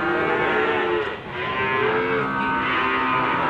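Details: Limousin cattle at Gondanglegi livestock market, Malang Regency, East Java, on 12 February 2020, a morning market: low drawn-out harmonic moos, two held lowings with a break near one second, over a dense hum of crowd chatter.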